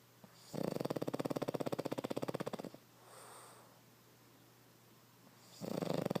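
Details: Boston Terrier named Derp snoring: a long, rapidly pulsed rasping snore for about two seconds, a quiet pause with soft breathing, then another rattling snore beginning near the end.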